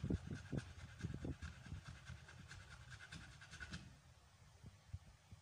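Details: American Bully named Amber, pregnant for the first time, on the 56th day of pregnancy and in labor, panting in quick soft breaths about 140 per minute, low and breathy, with faint background hum.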